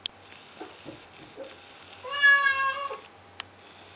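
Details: A blue point Siamese cat gives one drawn-out, nasal meow that rises slightly then falls, crying at 2am on the stairs, trying to get its owner to open the door.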